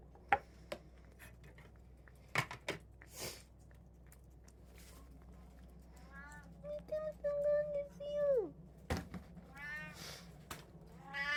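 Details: One of three pet cats (tabby, Munchkin, Abyssinian) at indoor mealtime, 6 July 2024. After clicks of eating, a long, steady, drawn-out meow falls away at its end. Shorter rising meows follow, with a person speaking softly.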